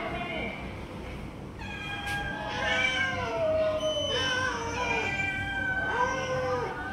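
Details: Stray cats being fed, a tiger cat snatching food from the others: several overlapping harmonic meows, some rising then falling, clustered from two seconds on, over steady low hum and background noise.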